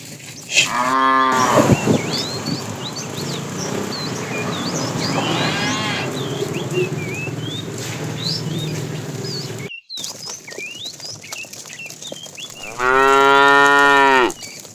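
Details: Fat cow from a tame herd herded in the afternoon, calling the female: a short moo near the start, a faint distant moo in the middle, and a loud sustained moo near the end, over continual bird chirps and a steady background hum.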